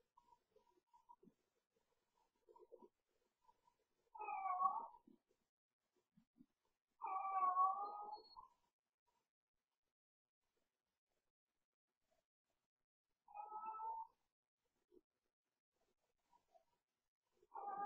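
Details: Domestic cat yowling late at night while playing as its owners go to bed: drawn-out wavering moans every few seconds, four main yowls with quiet trills and soft thumps between, indoors.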